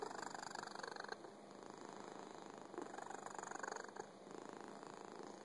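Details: Domestic cat with fuzzy coat purring steadily; rhythmic rumbling pulses roughly three per second, alternating inhale and exhale phases, indoors with no other noises.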